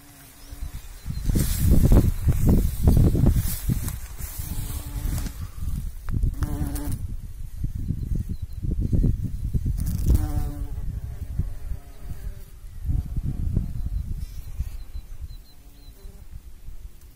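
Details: Bumblebee among pollinating insects: a low, droning buzz that swells and fades as the insect passes close, in several loud bursts with quieter humming between them.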